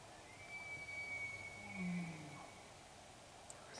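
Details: An albino bull elk bugles, possibly in Idaho: a sustained, thin, high-pitched whistle held nearly level for about two seconds, with low throaty grunts rumbling beneath the middle of the call.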